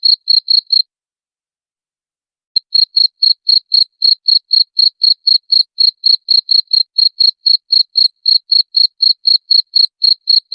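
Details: Cricket chirping meant to repel rats, a brief burst of shrill pulses, a silent pause near two seconds, then a long steady run of chirps about four per second.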